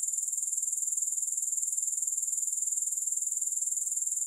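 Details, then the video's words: Unbroken chorus of grasshoppers with no music, a thin, high-pitched hissing trill throbbing evenly about four times each second throughout. "Grass Hopper Sounds"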